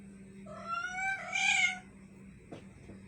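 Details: Cat gives a drawn-out, rising then falling meow that swells into a louder, strained wail, followed by a brief knock and a steady low hum in the background.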